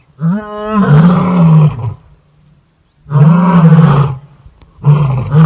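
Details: Lion in Kruger National Park, South Africa, filmed in 2024 at a sighting where one lioness killed another over food: two long, deep moaning roars, each about one and a half seconds, with a shorter third beginning, over quiet outdoor background.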